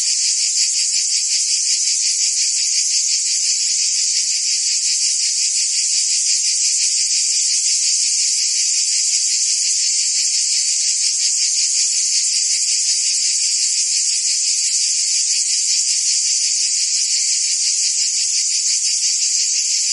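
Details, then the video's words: An unchanging cricket and insect chorus: shrill, rapidly pulsing chirps blend into a continuous high hiss for the full length, with no other sounds. "Cricket and Insect Sounds"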